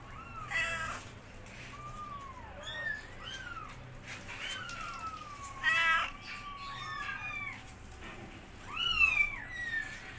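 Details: Mom cat guiding her kittens as they learn to walk, the young meowing loudly: a busy tangle of overlapping high, curving mews from several kittens, with louder piercing bursts near six and nine seconds.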